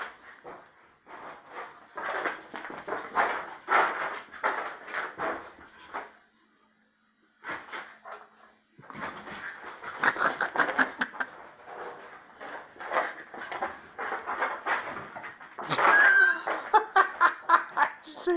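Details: Dog giving repeated loud vocal bursts, whining and bark-like, in dense runs from the start to about 6 seconds and again from 9 to 18 seconds, with a short silent gap near 7 seconds.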